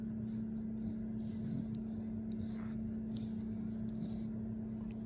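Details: Quiet indoor room tone with a steady electrical hum and faint soft rustles; no barking or other animal sounds from the puppy.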